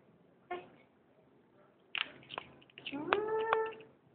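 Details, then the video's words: Olivia, a pet cat, in a small room as presents are opened: brief rustles and clicks, then a steady, clear meow lasting about a second near the end, with quiet Portuguese speech around it. "cute cat olivia and presents"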